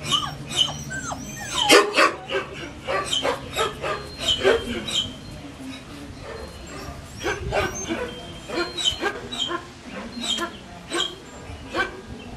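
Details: Six-week-old Collie puppies yipping and whimpering indoors, short high squeals and little barks scattered through, with a person talking over much of it.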